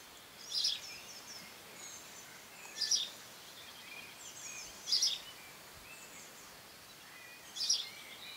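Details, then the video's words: Longhorn beetles, Cerambyx scopolii, squeaking in June 2015: four short, raspy, high-pitched bursts spaced about two seconds apart, with faint bird chirps scattered in the background. "Longhorn beetles (Cerambycidae - Cerambyx scopolii) 'squeaking'"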